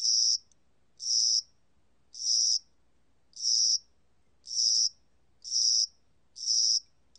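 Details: Spring-summer cricket from Korea, 2020 recording, giving loud shrill chirps of about half a second, spaced roughly a second apart, steady and clean against near silence.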